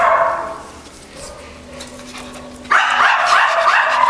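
A Schipperke gives high, wavering barks and yelps, breaking into a loud run of excited cries.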